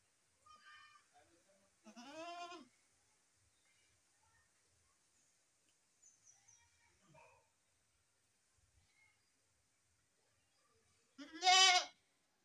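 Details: Goat kids bleating: a faint cry, then a clear arched bleat, a long near-silent gap with small scattered sounds, and finally a loud, sharp bleat close by.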